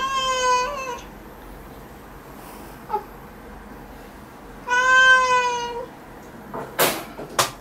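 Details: Domestic cat meowing while its claws are trimmed indoors: two drawn-out, slightly falling meows about four seconds apart, rich in harmonics, followed by sharp clicking sounds near the end.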